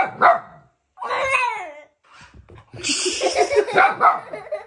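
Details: A young husky puppy, two days in its new home, reacting to a remote control car indoors: a sharp yip, then a short whining, falling cry, followed by clattering toy noise and voices.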